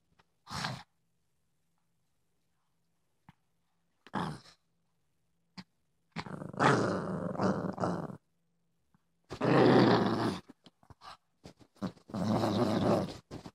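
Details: Female Boston Terrier acting tough indoors, giving short rough growling grunts in separate bursts, quiet gaps between them, longer harsh rumbling bouts toward the end.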